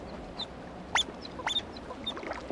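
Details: In the Adirondacks, a female North American river otter barks her greeting as the male joins their young: two short, sharp upward-sweeping barks about half a second apart, then fainter chirps over a low hiss.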